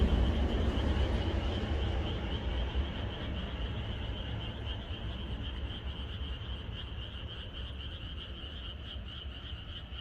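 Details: Frogs in a countryside chorus on the night before rain: a steady, dense pulsing trill of many callers in a high band, over heavy low rumbling background noise that fades slightly over the ten seconds.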